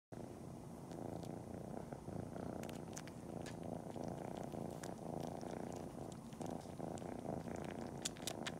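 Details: Cori the kitten purrs steadily while pretending to nurse just before a nap, sucking on toes and kneading with paws; a continuous low rumbling purr runs throughout, broken by scattered sharp wet suckling clicks.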